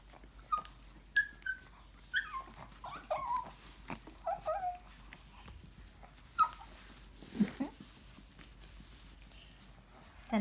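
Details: Shih Tzu chewing a dental stick while fed, giving short high whining squeaks and soft grunts scattered through the chew, with a woman speaking Japanese nearby.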